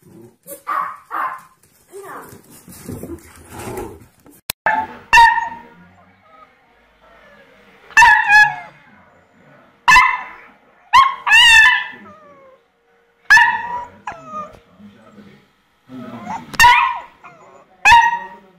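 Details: Puppy yipping: sharp, high, ringing yelps come singly or in quick pairs at irregular intervals, mixed with a few softer whines and rustling in the quiet stretches between them.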